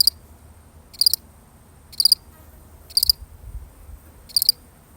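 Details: One lonely cricket chirping on its own, a real recording: five short, high, pulsed chirps about a second apart over a faint low rumble.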